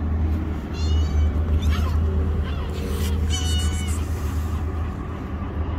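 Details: Kittens hiding under rocks give several thin, high mews that rise and fall, spaced irregularly over a few seconds, above a steady low rumble and hum that fill the background.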